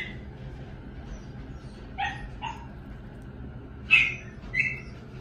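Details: Chihuahua yipping: two small barks, then after a pause two louder, higher-pitched yaps near the end, over a low background hum.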